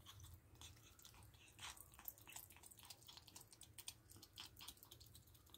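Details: Pet ferrets fed a raw diet, eating a rabbit carcass, chicken neck and beef indoors; quiet, wet crunching and tearing clicks come in irregular, rapid bursts over a low room hum.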